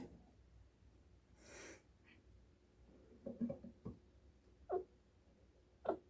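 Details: A pet chinchilla, heard in the morning, suddenly makes short, abrupt squeaky jerks spaced irregularly about a second apart, which its owner suspects are hiccups.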